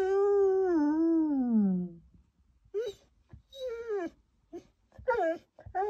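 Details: Samoyed named Louis howling after being left alone in a hotel room for a few minutes: one long wavering howl sliding downward, then a run of shorter rising-and-falling yelping wails in quick bursts indoors.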